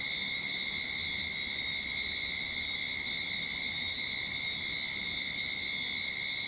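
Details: Early-summer cicada chorus in a backyard in Sydney, a constant shrill electric buzz holding steady without pauses, layered over a fainter thin tone beneath.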